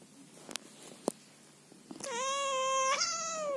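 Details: Scottish Fold cat named Chloe, indoors at night on her owner's bed, meowing angrily at being touched and hugged; after faint clicks, one long sustained harmonic meow, steady and slightly falling at the end.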